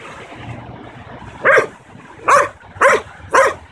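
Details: Nine-month-old Belgian Malinois in protection-style dog training, barking on command: four sharp, loud barks at irregular intervals of roughly half to one second, over a steady low background hum.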